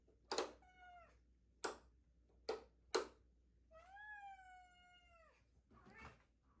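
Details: Female domestic cat indoors during a new evening routine, sitting in one spot and meowing to speak her mind: a short meow early, sharp clicks and taps, then a long steady drawn-out meow gently falling at its end.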